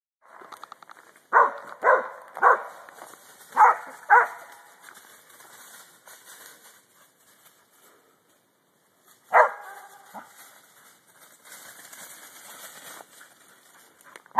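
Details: A dog named June barks at deer: loud, sharp barks in a quick cluster of five over about three seconds, then a single bark after a long quiet gap, with faint rustling between.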